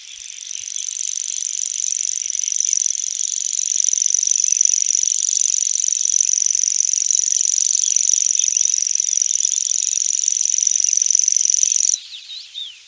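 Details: A grasshopper humming at night, holding one continuous high-pitched buzz for about twelve seconds before cutting off sharply, with a quieter chorus of other insects underneath.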